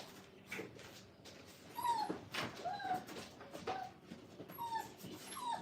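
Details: Brittany puppies at five weeks going in and out of a training crate, with scattered thin descending whimpers among soft shuffling and indoor noise.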